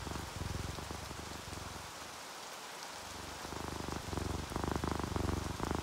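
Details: Relaxed domestic cats, an orange tabby and a calico, asleep to the rain. The low throbbing purr fades out for about a second midway, leaving only steady rainfall and dripping, then resumes strongly toward the end.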